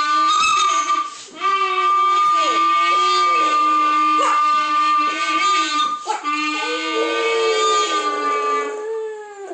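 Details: A Boston Terrier gives drawn-out, wavering howls that rise and fall like mock speech, sounding like "shut up".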